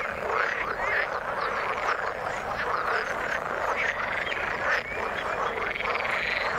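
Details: Frogs in the water call together in a dense chorus, a steady mass of overlapping croaks and trills.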